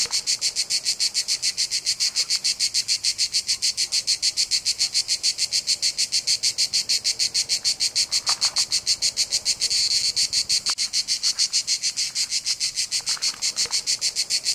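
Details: Cicada. Cicadas fill the air with a shrill, hissing buzz pulsed at a fast, even rhythm of several beats per second. The chorus keeps going without a break, and a few faint clicks show through underneath.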